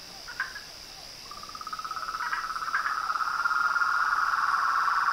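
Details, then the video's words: Nightfall chorus of toads, frogs and tree frogs at a pond beside a veranda: a few brief chirps, then a rapid pulsed trill that swells steadily louder to the end, with a continuous high-pitched hum behind it. "A SINFONIA DOS SAPOS, RÃS E PERERECAS"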